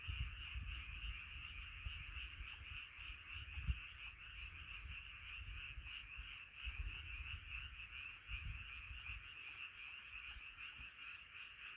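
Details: Many frogs singing together in a night chorus, a steady high buzzing and trilling wall of calls that never pauses, over scattered low rumbles and thuds, probably wind or handling.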